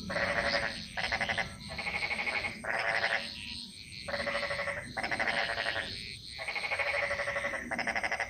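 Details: Frog chorus echoing through a jungle in Bali: overlapping bursts of rapid pulsed croaking, each lasting under a second, following one another almost without pause, with a steady high insect-like hiss behind.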